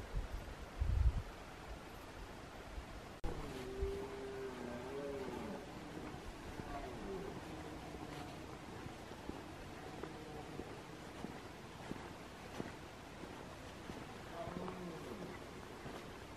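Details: Red deer. Deep, harmonic bellows from a red deer stag waver up and down in long bouts, typical of the rutting roar. A faint rumble of wind or distant traffic sits beneath the calls.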